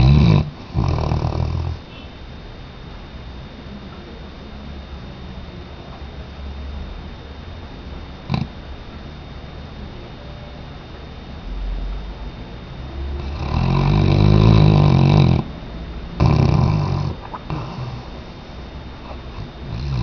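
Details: Weimaraner named Tchesco asleep: a pair of short snoring breaths opens, then a long quiet stretch, then a loud, deep, buzzing snore lasting about two seconds and one briefer snort near the end.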